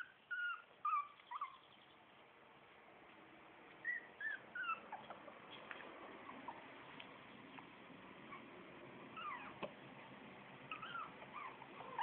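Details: Shih Tzu litter A at four weeks: a few sharp puppy squeaks open the recording, then scattered soft whines and whimpers fade into a steady background hiss with occasional clicks.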